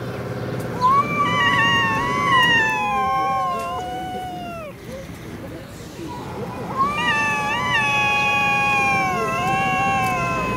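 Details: Russian city stray cats in a fight, wobbling, undulating yowls rising and falling in pitch, a brief lull near five seconds, then renewed warbling wails continuing past ten seconds, with a steady low background hum.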